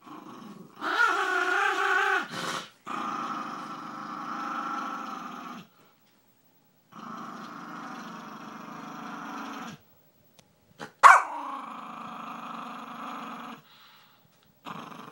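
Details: Long rumbling growls from Bailey, a household dog, come in several sustained stretches of a few seconds each, broken by silences and one sharp snap-like burst near the end.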